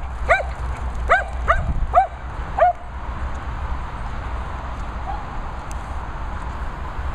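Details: Dogs at a Worcestershire countryside training and boarding kennels give five quick, sharp barks in under three seconds, followed by a steady background hiss with no further calls.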